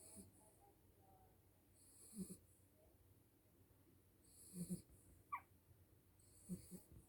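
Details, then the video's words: Tired new mother dog snoring while asleep: soft, low, rasping breaths repeat every two to three seconds over a steady background hiss, with one brief higher squeak in between. "Snoring new mom Dog"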